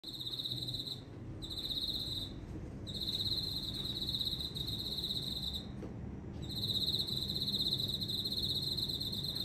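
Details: Insect calling loudly from houseplants at home: a continuous high, buzzy, pulsing trill broken by short gaps, over a low background hum.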